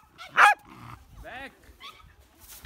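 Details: Hina, a lively young female Pembroke Welsh Corgi born 8 July 2015, who can't get someone to play with her: one sharp bark, then a short wavering whine, then faint yips in a quiet room.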